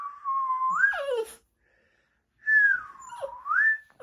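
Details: A puppy whistled at by a person lets out a short, sliding, falling howl that overlaps the end of a steady whistled tone, followed after a pause by another dipping, rising whistle.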